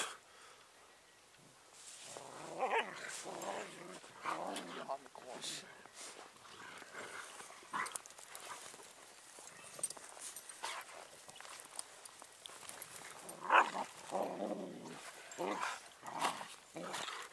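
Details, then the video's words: Bernese Mountain Dogs play fighting in the snow outdoors, giving rough growls and short yelping bursts at irregular intervals, with people talking over much of the scuffle. "Berner Sennenhunde Kämpfe"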